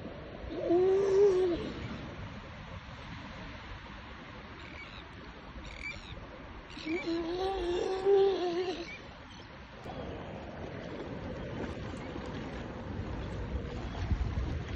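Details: A grey seal gives two drawn-out, wailing moans, each slightly rising then falling, while being freed from fish hooks at Ecomare on Texel, Netherlands.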